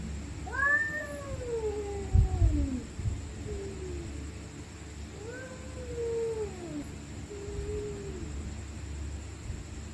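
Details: Angry stray cats screaming at night in a fight: two rising-and-falling wailing yowls, each followed by a shorter lower moan, with a dull thump between them and a constant low hum behind.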